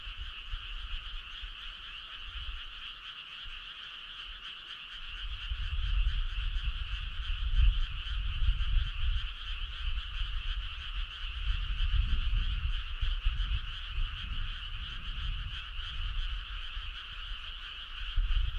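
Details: Frogs calling in chorus on a summer night: a dense, unbroken trilling of rapid pulses in two steady pitch bands, with low rumbling noise swelling from about five seconds on.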